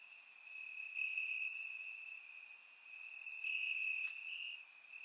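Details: A night chorus of crickets in the grass, Bulgaria, warm summer night, surround recording: a continuous high-pitched trill with swelling louder patches and scattered sharper chirps above.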